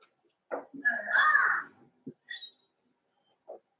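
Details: Indoors in Daisy's puppy pen, a five-week-old Cavalier King Charles Spaniel puppy gives a high, drawn-out whine lasting about a second, followed by short yips and faint squeaks.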